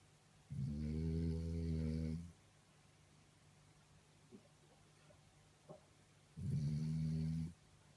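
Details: Sleeping French Bulldog snoring loudly: a deep, buzzing snore lasting nearly two seconds, a quiet pause with faint small clicks, then another low rasping snore about four seconds later; a constant low hum underneath.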